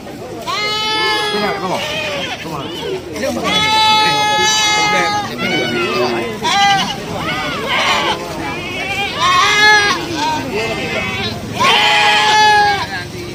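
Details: Bustling goat market at Cot Iri, Aceh Besar: several goats bleat one after another, harsh quavering cries repeated every couple of seconds, mixed with constant voices of traders and buyers in the background.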